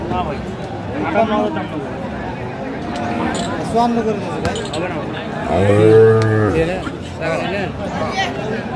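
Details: Sahiwal bull calves at a Dhaka cattle market, 15 February 2025: men bargaining over prices and crowd chatter, then a single loud, low moo lasting about a second, ending in a short upward-sweeping tail, with talking continuing after.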